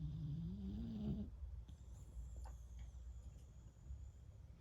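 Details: Beagle named フク子 snoring in deep sleep after a long walk and play; a low rumbling drawn-out breath opens, then quieter rapid soft snuffling with faint high room hiss.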